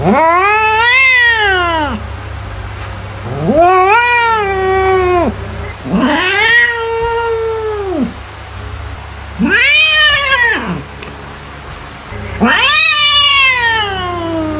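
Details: Drawn-out cat meows presented as a mouse repellent, five long arched wails about one every three seconds, each rising then gliding downward, harmonic-rich and loud, with a constant low background hum.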